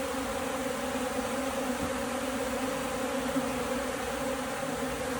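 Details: Hungry honey bees short of food give a continuous low, even droning hum, layered in steady bands, with faint background hiss and no pauses.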